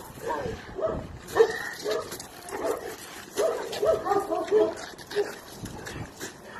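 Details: Young Chinese Red Dog doing bite work in the UK, giving short harsh bark bursts in clusters, with a dense run around the middle, mixed with a person's voice.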